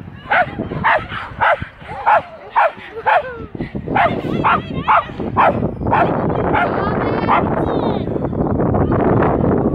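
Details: Schapendoes named Aira at an agility trial in Arendal, April 2015: a run of sharp barks roughly twice a second over the first six seconds, then a busier crowd background with voices and fainter barking.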